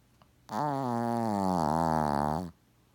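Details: Deep in sleep, Shih Tzu Gaku keeps up hearty, old-man-like snoring even as the camera moves close. One steady, buzzy, fluttering snore lasts about two seconds against a quiet indoor background.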